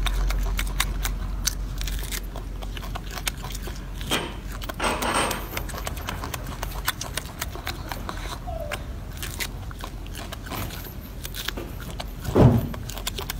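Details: Chewing golden monkey: steady wet crunches and bites repeating irregularly, a brief rustling swell midway, a short low thump near the end.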